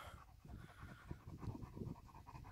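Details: Hot-weather panting from Major the German Shepherd, uninterested in dinner with the temperature near 30 degrees in the shade; low, throaty rhythmic huffs, fast and regular.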